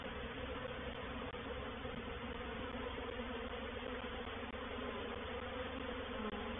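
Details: Honey bee reproductive swarm occupying a bait hive (swarm trap), Painted Peacock Manor, 04/07/21: an intense, constant, roaring hum of many bees with heavy low bands and no pauses.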